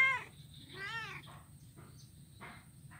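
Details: Kitten, blind, playing on an ironwood bridge in Kuala Kapuas, Central Kalimantan, recorded Monday 25 November 2019; a clipped meow at the start, then one full short arching meow and fainter rough mews, over low hum.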